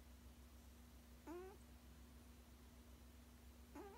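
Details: A 16-year-old male cat snoozing indoors makes two short, hummed, slightly rising moaning sounds about two and a half seconds apart, each rich in overtones, over a faint steady room hum.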